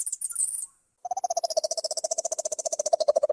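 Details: Dolphin, a marine mammal, recorded underwater: a brief high whistle, a short pause, then a rapid train of buzzy, rasping pulses that grows louder toward the end.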